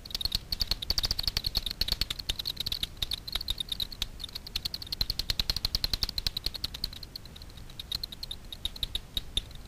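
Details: Daubenton's bats foraging for insects on the water surface over Miedwie lake in north-west Poland at night, picked up by a frequency division ultrasound detector: dense rapid dry clicks in irregular bursts, some speeding into quick runs.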